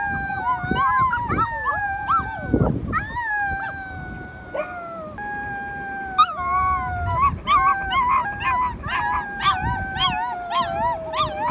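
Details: A chorus of rescued wolf pups gives sustained, gently descending howls, several voices stacked at different pitches, broken by sharp wavering yelps and squeaky trills that grow busier toward the end.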